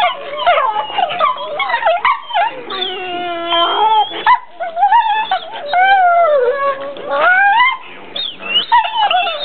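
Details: Playing pit bull brothers, tired after outdoor play, trade loud drawn-out whining howls with wobbling, bending pitch, interspersed with short yips and grumbles, nearly continuous.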